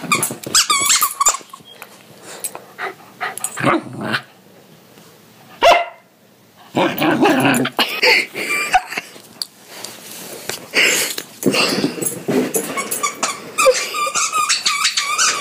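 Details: Corgi barking and growling indoors, bursts of loud, sharp barks mixed with rough growls and brief pauses, a noisy, energetic exchange over fifteen seconds.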